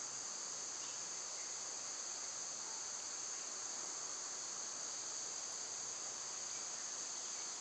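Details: Cicadas singing in summer, when they are loud: a steady, high, hissing drone holding two bright bands without a break, with no other clear voices.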